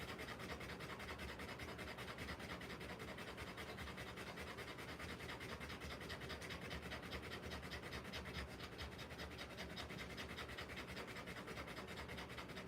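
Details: Rottweiler panting during a live birth of puppies; fast, even, breathy pulses of about two and a half per second, continuous across the clip against a steady noisy background.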